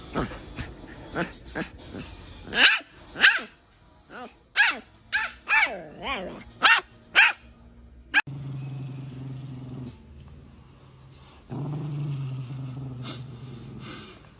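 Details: Angry Chihuahua barking in a rapid series of sharp, high yaps for about eight seconds, then a low, steady hum and faint noise take over the second half.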